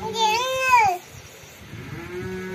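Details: A cat gives a single clear, tonal meow lasting about a second, rising slightly and then sliding down at the end, followed by quiet indoor background hum.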